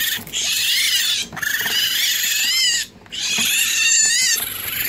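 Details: Two baby raccoons in a licensed wildlife rehabilitator's care, hungry and wanting a bottle while being cleaned first; loud, high, harmonic chittering cries in long runs broken by two brief pauses, with scattered handling noises.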